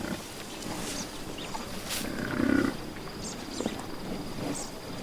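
A buffalo gives a single low, rough grunt over steady outdoor background hiss.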